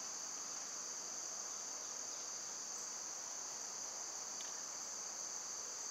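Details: Cicadas singing in summer: a narrow, piercing whine held without a break, with a faint brief chirp near the end.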